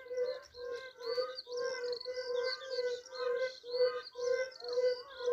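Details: Yellow-bellied toads calling in Poland, a mountain fire-bellied toad whose tone differs slightly from the lowland species: steady run of low, hollow notes about twice a second, overlapping, with thin warbling chirps higher up.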